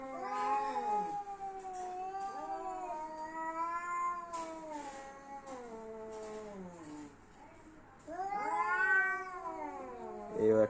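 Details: Angry domestic cats in a standoff, exchanging long, undulating yowls that rise and sink repeatedly over about ten seconds, with a brief quieter pause before a fresh, louder wail.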